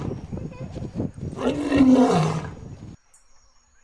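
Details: Low, rumbling African lion roar: a few short pulses, then one loud, sustained, throaty swell before it cuts off. This animal's roar can be heard up to 8 km, or 5 miles, away.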